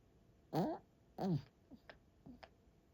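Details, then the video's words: Sleeping dog snoring loudly, likened to a tank rolling in: two deep, rasping, buzzy snores about half a second long and 0.7 seconds apart, followed by faint softer breaths. "강아지 코골이 누가 땡크 몰고온줄 알았슈"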